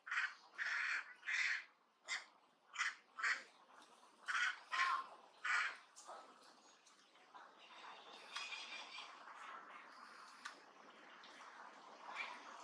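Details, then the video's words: Duchess, a monkey living among the Angkor temples near Siem Reap, Cambodia, shouts at an approaching enemy. About ten sharp, hoarse barks come in quick succession over six seconds. Softer, scratchy chatter trails off afterward. "Duchess Shout as loud as thunder when see the enemy coming"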